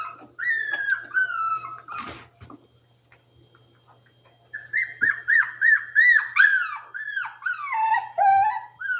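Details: Several rescued puppies whimper almost nonstop in high, thin, falling whines with rich overtones. There is a brief gap near the middle, then a dense burst of overlapping yips and whines in the second half.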